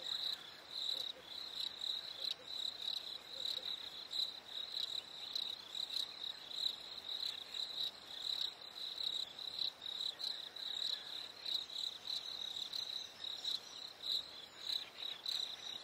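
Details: Crickets chirping on a warm summer night: short, high, pulsed chirps repeat in an uneven rhythm, roughly a hundred and a half per minute, against a quiet, still background.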